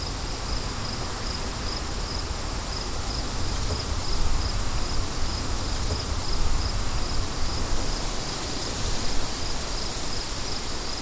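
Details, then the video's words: Cricket chirping forms a high pulsing line, partly covered by strong, gusting wind that swells around the middle of the recording. "Crickets & Wind"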